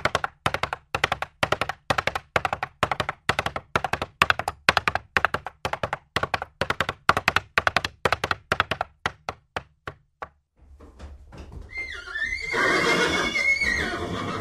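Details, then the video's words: Hooves of a galloping horse pound in quick triplet clusters roughly twice a second for ten seconds, thinning out, then a broad rushing noise swells with a short wavering tonal call near the end. "Sounds of horses. What sounds do horses make?"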